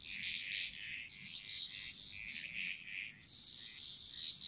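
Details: Balinese jungle frogs singing together, a dense run of bright, rattling croaks nearly continuous across the moment, over a thin steady high hum.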